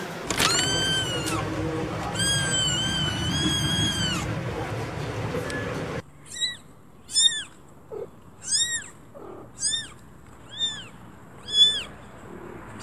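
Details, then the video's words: Kittens calling: first a few long, drawn-out wavering meows over room noise, then a run of short, high mews repeated roughly every second. "Kittens meow"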